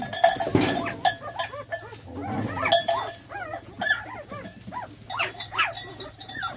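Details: Spanish Mastiff on a farm on 29 January 2021, giving rapid, high, squeaky whines and yelps that rise and fall in quick bursts, with clanking like a cowbell and a person's voice nearby.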